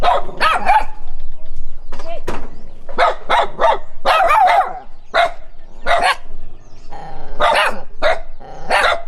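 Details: Dog running and barking on seeing a stranger, rapid volleys of sharp barks in twos and threes, some with a rising yelp, brief quiet stretches between bursts.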